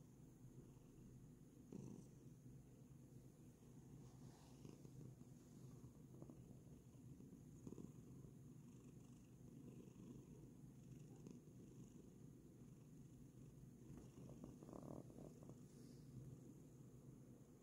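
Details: Bengal cat purring indoors: a quiet, steady low rumble runs unbroken through the whole stretch, with faint soft rustles now and then.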